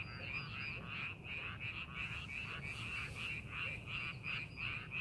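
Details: Rice-paddy frogs calling while fields are prepared for farming: a chorus of rapid nasal croaks in short bursts, around three per second, rising and dipping in loudness, over soft low rumble.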